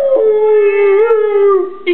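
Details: Rottweiler "singing and talking": one steady, drawn-out tonal howl with a rich stack of harmonics. It holds a fairly level mid pitch with a slight wavering rise midway, then fades before a brief new onset at the end.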